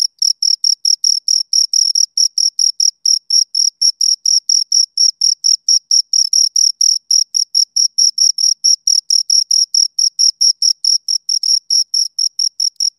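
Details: Two crickets keep up a loud, continuous run of short high-pitched chirps, rapid and regular, each a tight scraping burst with a thin upper harmonic, unbroken throughout with nothing else audible.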